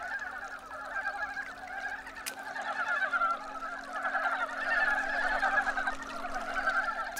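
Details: A crowded chorus of Korean brown frogs in early spring, males newly out of hibernation under stream stones and chasing females to mate: continuous overlapping rapid croaks swelling and fading, with two sharp clicks.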